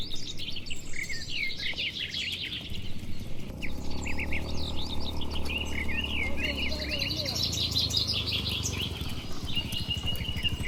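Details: Dozens of tame, healthy cattle walking slowly home to their shed along a tree-lined village road on a warm evening; one low, drawn-out moo lasting about three seconds mid-clip, with many small birds chirping and twittering overhead throughout.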